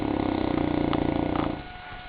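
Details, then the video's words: Goliath the St. Bernard lies asleep, letting out a loud, buzzing rattle of a snore for about a second and a half before it trails off into soft, low noise. "Bernhardiner Schnarchkonzert"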